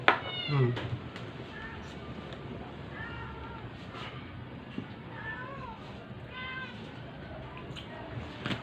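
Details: Sick stray cat being force-fed while someone talks soothingly; a loud cry opens, followed by several thin, wavering meows spaced a second or two apart, with clicks and handling noises between.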